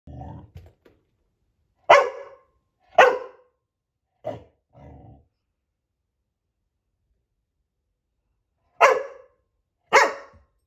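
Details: Coco, a female puppy, barking at her own reflection: five sharp, abrupt barks in irregular bursts with long gaps, and low grumbling noises at the start and near the middle.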